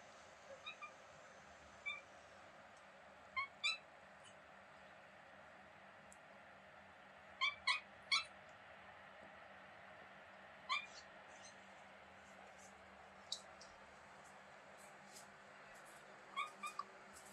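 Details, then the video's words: Young kitten named Mira, met on holiday in Greece, giving her sweet beeping sounds: short, high, chirp-like beeps that come singly or in quick pairs and triplets at irregular intervals over a quiet background. "Cute Kitten Mira making sweet Beeping Sounds"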